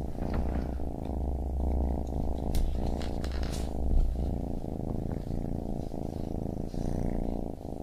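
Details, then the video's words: Baby kitten purring in a dense, rumbling drone, overlaid with sharp clicks and rustling handling noises midway. "Baby Kitten Purring"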